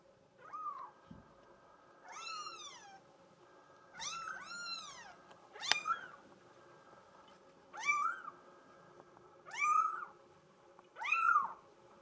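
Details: Solid mink Bengal kitten, female, calling with a series of arching meows about every one and a half to two seconds, each rising and falling in pitch; a soft thump early on.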